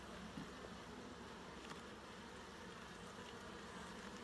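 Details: Dense, continuous hum of honey bees at an opened hive during a full inspection for eggs, larvae and capped brood, an even buzzing wash with a few faint taps.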